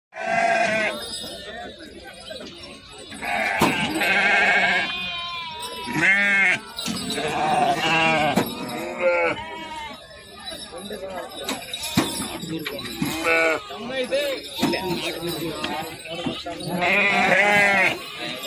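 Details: Native sheep at the Nallapadu sheep market in Guntur, with 44 sheep and 24 lambs present; bursts of wavering, quavering bleats, several animals overlapping, alternating with people talking and market bustle.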